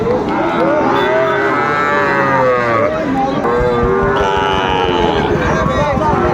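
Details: Sahiwal bull calves about six months old, sold in pairs at Raniganj cattle market, Mymensingh, Bangladesh, on 9 May 2024. Several drawn-out moos overlap, rising and falling, over a dense background of market voices.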